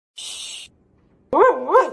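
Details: A Siberian Husky "talks" in a short, wavering 'woo-woo' that rises and falls in pitch while its owner hushes it because the neighbours are sleeping.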